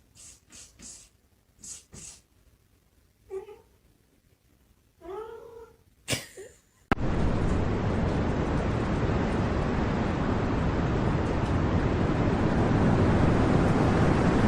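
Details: Domestic cat giving a few short rising meows and brief vocal bursts over about seven seconds, then cut off by a loud steady broadband hiss like running water or static filling the rest.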